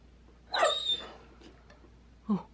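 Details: A Dobermann gives a short, high, nasal whining yelp that slides downward, followed by a brief lower grunt-like sound about two seconds later; a steady low hum sits underneath.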